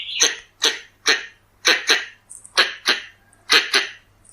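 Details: Pallas's squirrel, the red-bellied squirrel, giving a lure call series: roughly ten coarse, sneeze-like barks, some doubled, with irregular gaps. Faint high tonal peeps and a low electrical hum in the background.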